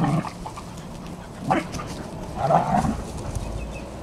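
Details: Dogs playing together, among them Border Collie x Kelpie siblings Maddie and Flynn, French Bulldog x Staffy Stella and white Terrier cross Mack: low rough growling bursts rising and falling, two main grumbles about a second apart over steady background hiss.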